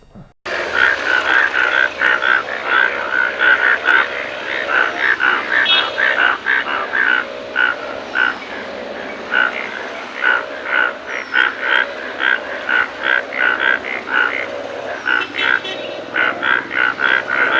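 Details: Hundreds of large yellow frogs in a paddy field near Elookkara ferry junction, seen in the morning after rain. Dense chorus of short, bright, evenly spaced croaks repeated several times a second, overlapping throughout.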